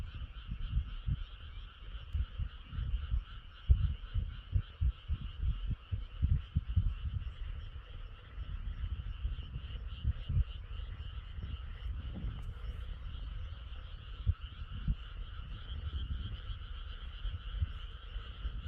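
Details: Night-time frog chorus beneath a moon hidden by clouds, many frogs calling together in a continuous pulsing trill that swells slightly, with scattered deep low thuds throughout.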